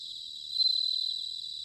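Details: Bell crickets singing in autumn, recorded in Sanuki, Chiba, Japan, on a ZOOM H6 or TASCAM DR-05X: a clear, ringing high trill that swells louder midway, with a fainter chorus of other crickets steady beneath.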